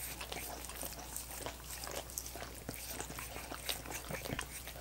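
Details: Wet, irregular lapping and smacking as dogs work at coconut water popsicles, the clicks crowding close together with occasional louder slurps, over a low hum and no speech.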